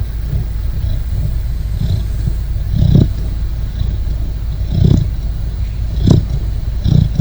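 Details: Sleeping Great Dane puppy snoring softly, each low rumbling breath rising about every second or two over a steady low hum, the snores fairly faint and uneven in spacing.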